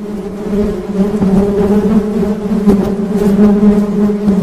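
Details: Continuous low droning hum of honey bees, even in pitch with layered overtones, gently pulsing in volume and broken by occasional soft ticking sounds.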